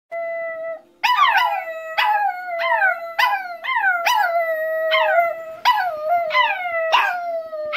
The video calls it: More howling chi dog